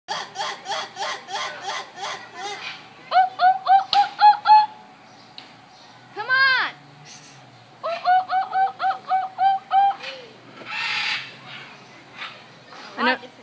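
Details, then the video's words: A lemur calling while a child tries to talk to it: bursts of rapid, stacked chirping yelps repeated several times a second, broken by a couple of longer wavering squeals, with a child's voice mixed in. "Lemur say what?"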